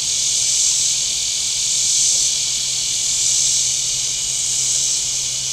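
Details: Cicadas calling on the shore of Table Rock Lake, southern Missouri, on a warm Saturday: an intense sizzling high drone that rises and eases in slow waves, with a steady low hum in the distance.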